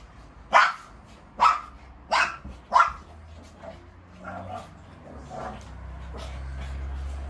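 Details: Shih Tzu barking during a fight rematch; four loud sharp barks about a second apart, followed by softer, muffled yips and a low steady hum.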